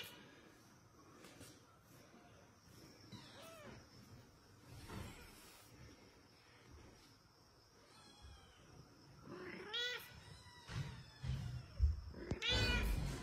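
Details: Mother cat calling for her kitten, repeated rising-falling meows, clustered near the end, with low thumps and handling noise beneath.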